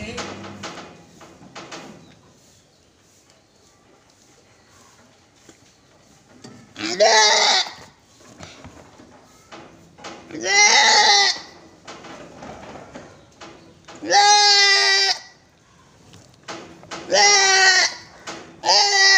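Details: Goats on a farm in Gulbarga, Karnataka, bleating loudly in five harmonic, wavering calls spaced roughly three seconds apart, after a quiet opening with faint background sound.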